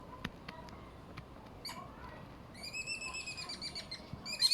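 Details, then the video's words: Squirrels in Malaysia calling: scattered sharp clicks, then from midway a run of high, harmonic chirps repeated rapidly, growing louder toward the end. "Squirrels is making noises."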